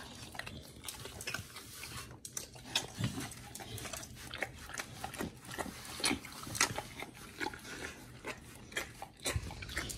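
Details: Raw-fed dogs Oli and Nomy chewing raw meat at close range: irregular moist smacking and gnawing, with soft grunting breaths under the bites and occasional sharper crunches spaced a second or so apart.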